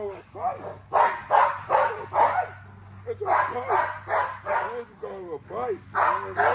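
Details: XL American Bully girl with strong drive barking while exercised: clusters of fast, harsh barks broken by a short pause, with whining yelps mixed in and a steady low hum.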